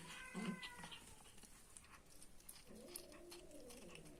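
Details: Angry cat eating food: a short harmonic meow-like cry near the start, then a quiet pause, followed by a low, drawn-out wavering growl lasting over a second, with faint clicking and rustling throughout.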